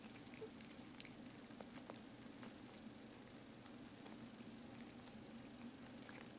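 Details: Rudolph, a domestic cat, purrs in a small room, giving a continuous soft throbbing hum low in pitch, broken only by occasional light ticks and rustles.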